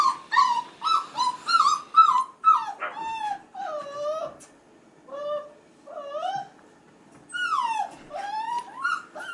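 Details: Five-and-a-half-week-old male F1b Goldendoodle puppies crying indoors as female littermates play with children. High, wavering whimpers, some sliding down in pitch, come in quick runs with brief silent pauses between.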